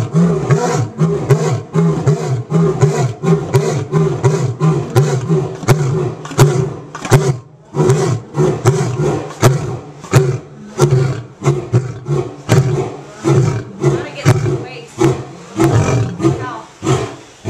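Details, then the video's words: A captive lion at a big cat rescue roars in a long run of deep, throaty grunts that rise and fall in quick succession. "Lion Roaring.MP4"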